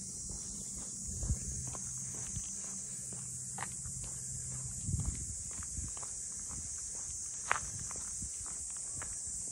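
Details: Cicadas in Ine no Funaya, the traditional port boathouse townscape north of Kyoto, Japan, recorded on a walk: a constant shrill, high-pitched drone fills the background, with scattered footsteps and a low steady hum below.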